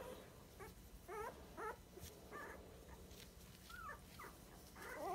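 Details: Dachshund puppies at 23 days old in a litter indoors give short, faint, squeaky yips and whimpers scattered through the recording, with soft rustling and handling noises.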